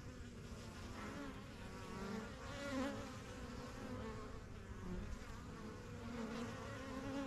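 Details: Backyard honey bees at the yellow hive, the strongest of a first few hives started in spring 2023. Bees fly in and out as they learn the surroundings. A dense, continuous droning buzz swells slightly near the middle.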